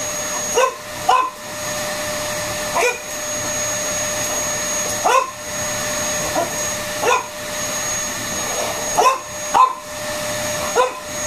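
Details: A French Bulldog playing with a running vacuum cleaner gives short, sharp barks, often in quick pairs, about ten across the stretch, over the steady loud drone of the vacuum.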